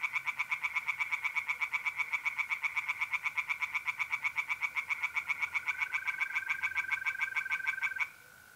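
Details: Tree frog chorus by a pond at night in mid-April, North-East Italy: a long unbroken run of quick, rattling croaks that stops abruptly near the end, while a steady trilling mole cricket carries on alone.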